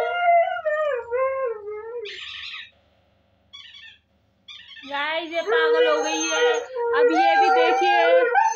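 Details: Siberian husky. A Siberian husky puppy gives long, wavering howls that bend up and down in pitch, broken by brief pauses and a short huff. It is calling its mother for food, and the cries grow fuller and more insistent toward the end.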